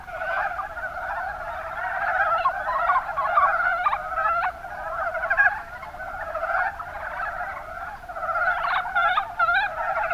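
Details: In the Kuma Basin, Kumamoto Prefecture, Japan, a crowd of mountain brown frogs gives rolling, clucking croaks. Sharp clicking calls stand out over the steady chorus, clustered around the fourth second and again near the end.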